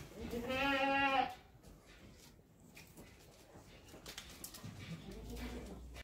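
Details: One young goat kid gives a single quavering bleat about a second long. Quiet background noise and faint rustling follow.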